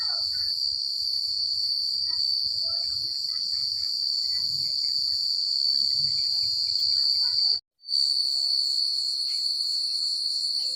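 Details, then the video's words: A constant high, shimmering cricket trill on a country night that cuts out briefly for a moment near the end, then resumes at the same pitch, over faint scattered lower chirps. "The Sound of Crickets at Night"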